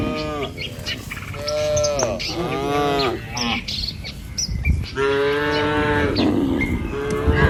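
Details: Village cattle herded across a wooden bridge toward grazing grass along wet rice-field tracks give a series of overlapping low moos, some falling at the end, repeated through several seconds, while birds chirp continuously in the background.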